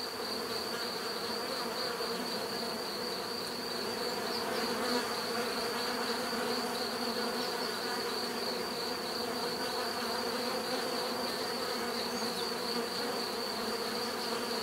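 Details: Bees buzzing in a steady natural swarm drone, a dense hum with bands around 250 and 500 and a bright continuous tone near 4 to 5 thousand cycles, holding level throughout with no other sounds.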